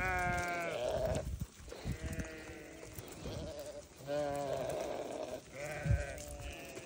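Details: Bleating newborn lambs, several quavering, harmonic cries in quick succession, some trembling and some flatter, with brief thumps and handling noises between calls.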